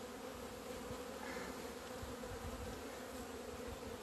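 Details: Honey bees out in the sun on 17 February 2020, the first time they have left the hive after two months of winter; a steady, droning hum of many wings with a low, even buzz throughout.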